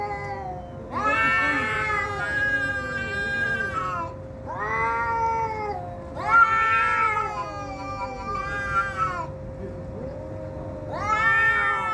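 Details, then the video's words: Domestic cats fighting: long, wavering, harmonic-rich yowls rising and falling, several drawn-out wails of one to three seconds separated by brief pauses, with a steady low hum underneath. "Cat Fighting Sound"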